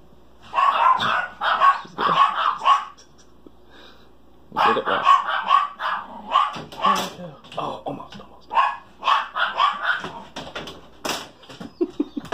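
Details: Female Great Pyrenees puppy indoors at home, learning to open a door, gives short, harsh barks in quick bursts about twice a second, a brief pause, then another run of barks, with a person's voice now and then.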